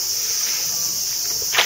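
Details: A dense chorus of cicadas in a quiet former daimyo garden in Okayama, Japan, drones as one continuous, high, shimmering hiss that masks other sounds, with a brief scuff or rustle near the end.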